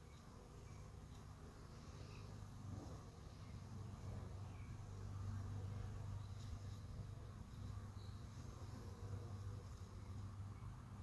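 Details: Western honey bees at a hive entrance about 45 minutes after robbing, 5:15 pm, fill the air with a steady, low, droning hum that swells and fades slightly.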